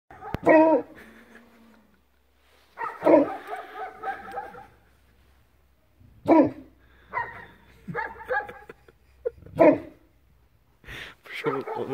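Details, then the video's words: Newfoundland dog Bernie barking at sunrise during his first time in a Belarusian village: deep, loud single barks repeated every three seconds or so, with drawn-out, moaning harmonic calls between them. "Bernie barks at sunrise"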